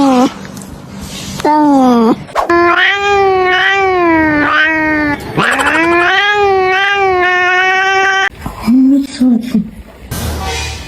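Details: A domestic cat with a deeper voice than most gives long, drawn-out, wavering meows with a rich harmonic tone.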